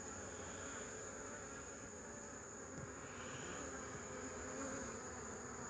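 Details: Continuous low buzzing of many honey bees, recorded 8 March 2015, forming an unbroken hum with a gentle rise in loudness toward the end.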